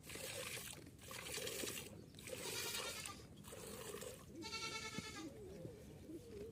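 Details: Kathewadi goat being milked, a single brief bleat with rich harmonics near the end, set against repeated swishing bursts of milk jets hitting a container.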